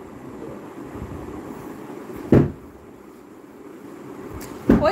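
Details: Low indoor hum broken by two sharp thuds, with no animal voice heard.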